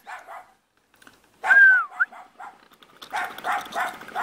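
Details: Young dog from a mountain village in Jeonju, North Jeolla Province, Korea: a couple of soft yaps, a clear rising whistle from another creature, then a run of rapid, rough barks toward the end.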